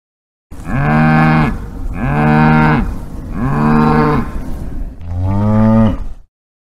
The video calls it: Cow Videos ( Cow Sound - Cow Mooing - Cow Sound Effect)